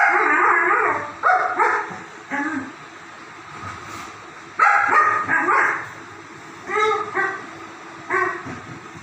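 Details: Loud, busy play noise from German Shepherd dogs: rapid clusters of high yelps and barks, some whining and overlapping, arriving in groups with short quiet pauses between them.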